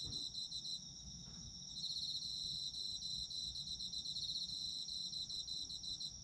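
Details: Chorus of autumn insects from Japan for sleep: layered high chirping trills, rapid pulses repeating about four times a second, a brief soft thump early on, otherwise unbroken ringing.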